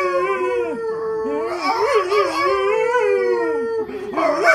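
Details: A pet golden retriever howling: a long, sustained, mournful howl with a wavering, slightly warbling pitch. It dips briefly near the end, then breaks into higher yipping notes.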